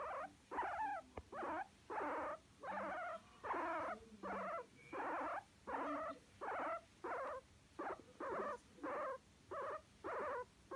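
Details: Pet guinea pig being massaged and enjoying it, making a steady series of short squeaky calls, roughly one and a half per second, evenly spaced and fairly uniform throughout; no other sounds.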